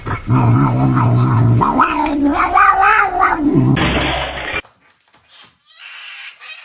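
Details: Cat giving a long, drawn-out, wavering yowl for about four seconds, low and moaning with a harsh edge, before cutting off into near silence with faint movement noise.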